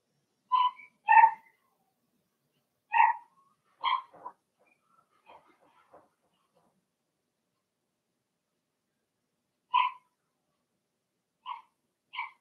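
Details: Cavalier King Charles Spaniel puppies, a Blenheim litter of six in a home puppy pen, give scattered short high yips and little barks in loose clusters, with a long quiet stretch before a few more yips.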